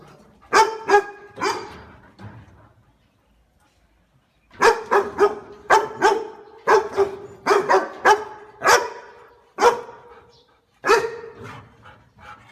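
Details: Barking pet dog: three quick barks, a silent pause of about two seconds, then a long uneven series of a dozen ringing barks.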